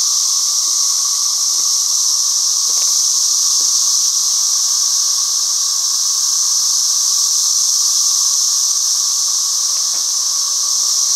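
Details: An intense, even cicada buzz runs without a break, shrill and hiss-like. A few faint ticks come through the droning wall of sound.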